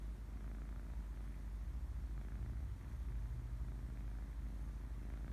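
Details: Sleeping kitten purring, a low, even, throbbing rumble that swells slightly in the middle and continues without pause.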